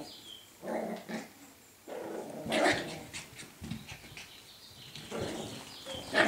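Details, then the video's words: Scottish Terrier puppies, a string of short rough growls and yipping bursts scattered through, some with a brief higher squeaky edge, at an uneven pace. "Scottie Pups"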